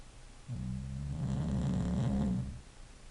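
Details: English Bulldog sleeping and snoring: a single deep, vibrating snore of about two seconds, gravelly and fluttering, starting abruptly and fading out into a quiet room.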